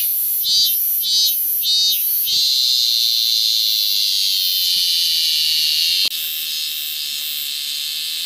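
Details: Three quick pulsed bursts of a piercing cicada buzz give way to a continuous high drone. A sharp click partway through leaves the shrill call slightly quieter afterward.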